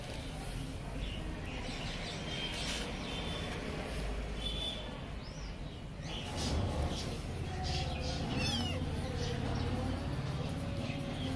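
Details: Kittens meowing: a few thin, high mews that rise and fall, the clearest around the middle of the recording, over a steady low hum and rustling background noise.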